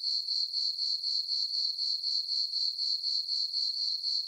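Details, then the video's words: Summer-night chorus of crickets in a moonlit farm meadow: a continuous shrill ringing tone beating in even pulses roughly four per second, nothing else audible. "Cricket chirping sounds for sleeping"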